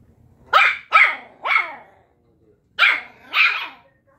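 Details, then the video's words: Puppies arguing, five sharp high-pitched barks, three quick ones about half a second apart, a pause, then two more. "Puppies arguing"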